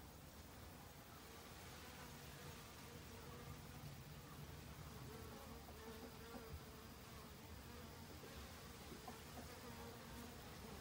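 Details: Autumn honey bees foraging restlessly for overwintering food, a soft, steady background hum with faint tonal bands and small swells in loudness.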